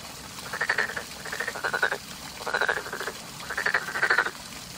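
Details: Spring frogs giving rattling, pulsed croaks in three or four half-second bursts, several animals overlapping over a low constant background murmur.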